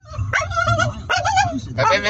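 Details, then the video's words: Staffordshire Bull Terrier at home making drawn-out, warbling, whiny moans at a middle pitch: one long wavering stretch, a second after a short break, then a third starting near the end, over a faint low hum. "Funny Staffie noises"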